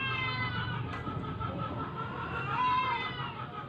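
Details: Weak stray cat resisting force-feeding utters a long, steady, nasal meow with rich harmonics, swelling slightly toward the end, over faint background hum.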